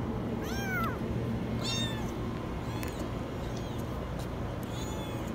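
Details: Trapped kitten inside a washing machine gives one strong high, bending mew, followed by a few fainter, shorter cries, all over a constant low droning hum.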